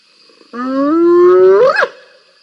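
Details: Two wild spotted hyenas scrapping at a waterhole, caught on a live cam on 7 November 2021; one drawn-out tonal whoop holds level, then sweeps sharply upward and breaks off at the end, over a faint steady background hum.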